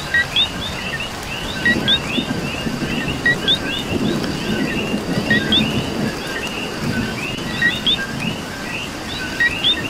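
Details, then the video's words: Dense coqui chorus in Puerto Rico rain: many overlapping two-note calls, each a short low note and a quick rising whistle, over heavier rainfall with low rumbling bursts. "Coqui and Rain"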